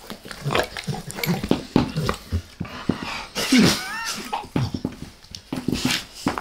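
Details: Max, a dog, licking someone's face: quick wet smacks and slurps, interrupted midway by a short wavering tonal sound, then more rapid lapping clicks.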